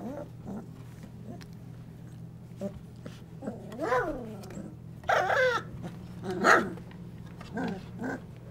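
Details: Twenty-five-day-old Golden Retriever puppies in a whelping box on an evening, newly walking and interacting, give a series of high whining whimpers that arch up and fall, plus a few short yelps, over a steady low hum.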